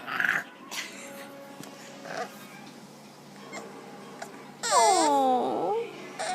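A bulldog puppy lets out a short, whiny growl with a clear, voiced tone that drops and then climbs back up. Faint shuffling and soft household sounds come before it.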